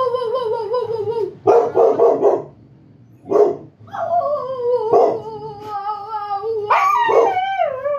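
Huskies howl in long, wavering tones that slide slowly downward, broken by short barks.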